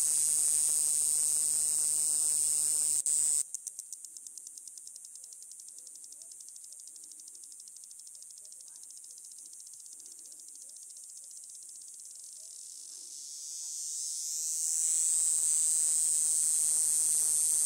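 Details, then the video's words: Desert Cicada in Tucson, Arizona, its abdomen extending as a small plate vibrates. A loud, shrill, high-pitched drone eases into a rapid pulsed rattle of about four beats per second, then swells back to a steady continuous buzz. "Cicada Buzz!"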